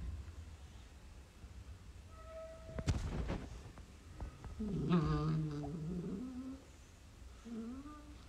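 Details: Beagle puppies at play indoors; a low, wavering whine swells and dips for about two seconds, followed by a shorter rising whimper, with thumps and clicks from the play around them.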